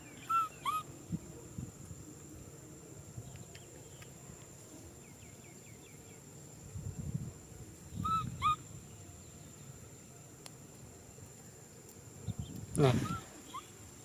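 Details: Baby macaque named Nui Simon cries out for a hug: short, high squeaky cries in quick pairs near the start, again around eight seconds, and once more near the end, over low rustling and handling noise.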